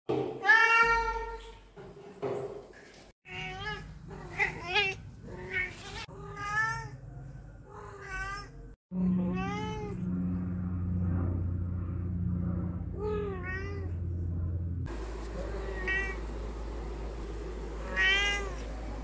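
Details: Domestic cat that meows whenever people are around, giving a rapid run of short harmonic meows, many rising then falling, some clipped, with low background hum and rumble in later parts.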